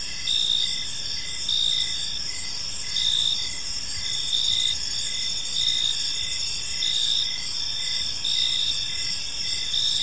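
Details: Evening in a quiet park, crickets keep up a gentle chirping: a constant high-pitched drone overlaid with short pulses recurring almost once per second, with soft low noise beneath.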